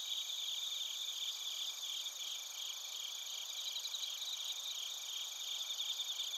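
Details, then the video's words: Crickets, including bell crickets, chirp near Narita, Chiba, Japan, on a TASCAM Portacapture X8 recorder. A constant thin, high, ringing chorus with quick repeated pulses runs evenly from start to finish. "スズムシとコオロギの鳴き声 - Chirping of crickets"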